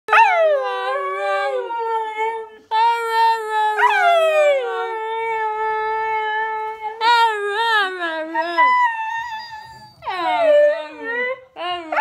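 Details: A female Siberian Husky howls in long, sustained tones that waver and slide downward, joined by a human voice howling along with her.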